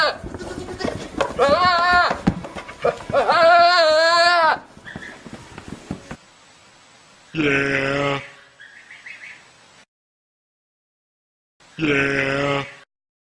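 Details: Goats making silly screaming noises: two quavering, tremulous bleats close together, then, after pauses, two separate loud, hoarse, flat cries, with brief talking early on.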